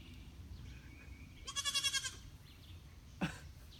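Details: Goat giving a single wavering, tremulous bleat of about half a second with pulsing vibrato, preceded by a faint thin tone and followed by a brief sharp noise, over low background rumble.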